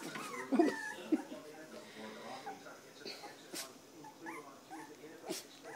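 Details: Three-week-old standard poodle puppies whining in high, wavering squeaks, with two sharper yelps early on and faint murmuring voices and small knocks in the background.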